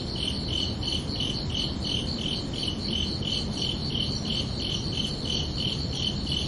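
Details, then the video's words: Night chorus of crickets in summer: evenly spaced high, clear chirps, about three each second, forming two stacked shrill tones, with a continuous low murmur of background noise beneath. "Calming Cricket Sounds for Relaxation"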